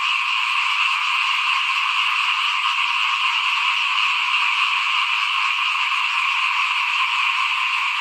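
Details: Small frogs calling in front of a house at rice sowing time, 2021: a dense, unbroken high chorus of many callers holding steady for the whole stretch, with faint soft low pulses repeating about every second beneath it.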